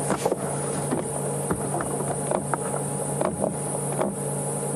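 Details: Cicadas give a continuous, very high, thin buzz without a break on a windy evening game drive on 11 November 2015. A low vehicle engine rumbles underneath, with a few soft knocks and clicks.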